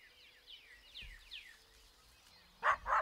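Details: Eastern coyote, described as angry: four faint, descending yips about every half second, ending in two loud, harsh barking bursts.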